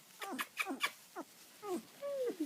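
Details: Labrador Retriever puppies give short descending squeaks and yips in quick succession, ending in a longer drawn whine.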